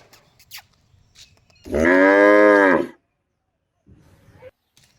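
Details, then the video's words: Cow mooing: a single loud, drawn-out moo of about one and a quarter seconds, rich in stacked harmonics and steady in pitch, framed by quiet rustling and faint low sounds before and after. "Funny Cow Sound"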